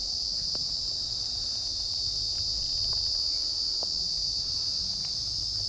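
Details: Steady shrill trill of crickets fills a calm forest spot in Joypur, Bankura, free of traffic sound, unbroken from start to end with only faint soft ticks beneath.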